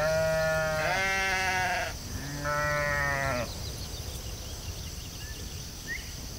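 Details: Sheep in a field giving two long, wavering bleats, the second slightly lower and shorter, followed by quiet rural background with faint distant chirps.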